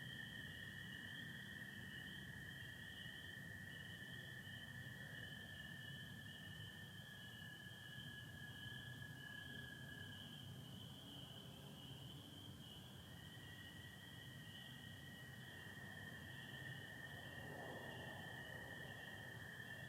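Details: Peepers and American toads calling together on a spring night in Michigan, 24 April 2025; the high peeper chorus never stops, while a toad's long steady trill breaks off and another resumes after a brief gap.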